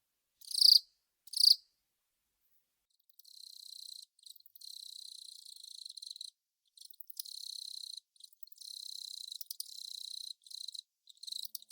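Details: Velarifictous aspersus, the long-mouthed cricket: two loud short chirps near the start, then long quieter stretches of high, buzzy trilling broken by brief gaps.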